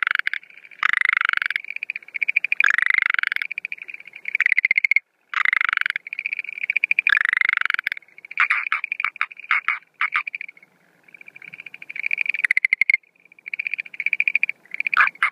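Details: Schlegel's green tree frog calling at night on 17 April 2013 at the start of breeding season, no female seen, with fast rattling trills in repeated bursts; normal calls first, then two different call types mixed later.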